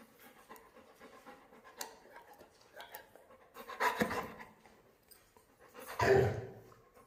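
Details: Labrador Retriever named Mr. Honey, at play, giving breathy, noisy bursts of panting, with two louder huffs near the end over a soft background murmur and faint voices.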